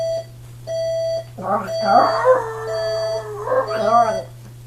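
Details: A Chihuahua howls with an alarm clock, its long wavering, quavering howl rising and falling for about three seconds over repeated steady electronic beeps, with a short beep burst before it starts.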